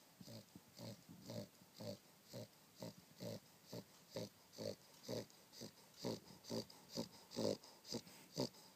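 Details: A dog snoring while asleep on a down duvet, rhythmic raspy breaths repeating about once a second, steady and evenly spaced throughout.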